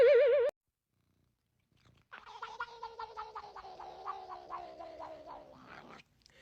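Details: Domestic cat giving a low, buzzy pulsed murmur, rapidly vibrating and held for about four seconds before cutting off, after a short wavering electronic tone and a moment of silence.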